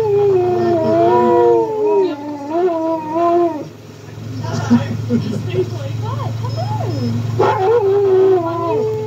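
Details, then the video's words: Pet dog howling with a second dog: overlapping wavering howls for several seconds, then a burst of short rising and falling yips and whines before the howling resumes, over steady low-pitched background hum. "Doggo howling with Doggo."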